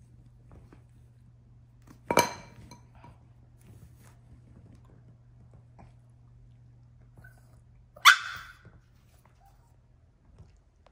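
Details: Yorkshire Terrier puppy throwing a tantrum indoors: two sharp, loud single barks about six seconds apart, with near silence and a faint low hum between them.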